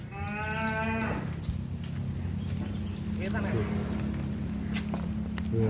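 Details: Giant cattle at the APPSI cattle contest in Karawang, 2023: one drawn-out, rich harmonic moo lasting about a second, over a steady low engine-like hum with scattered knocks and voices afterwards.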